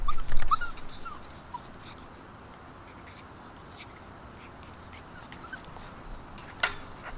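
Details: Six-week-old Alaskan Malamute puppies with their father, recorded September 3, 2019: a few brief, thin whimpers over louder low thumps at the start, then a quiet stretch with faint clicks and one sharp tap near the end.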